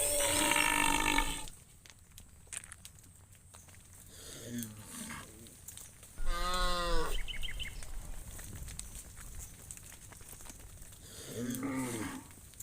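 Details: Cows being driven by shepherds toward the farm pen: a loud opening call, then a rich, arching moo near the middle and a shorter, lower moo at the end, with footsteps and outdoor rustling between calls.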